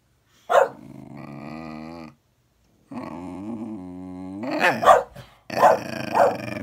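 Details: Bedlington whippet and Patterdale dogs growling at each other: long, low rumbling harmonic growls that rise and waver, broken by sharp barks and snarls toward the end.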